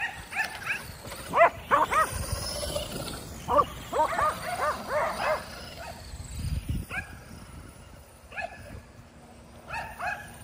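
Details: Five Kerry Blue Terriers at home chasing a remote-control car for exercise: bursts of high excited yapping barks in quick clusters, pauses between, a whirring motor whine and scuffling in the background.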